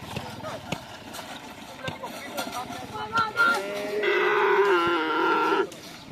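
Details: Cattle at karapan sapi bull-race training on the Asemanis field in Pamekasan: after a stretch of chattering voices and scattered knocks, one long, steady, low moo holds for about a second and a half, then fades back into crowd noise.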